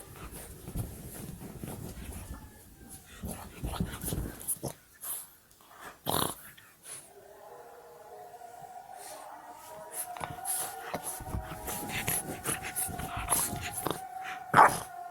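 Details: A five-month-old female Boston Terrier puppy gives rough, growly barks, then drawn-out whining tones.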